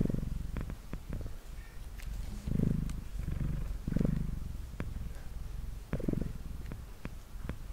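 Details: Male pet cat Mango purring while brushed on a table; a quieter, softer low rumble swelling in short bursts, with sharp clicks and light brushing noises scattered throughout.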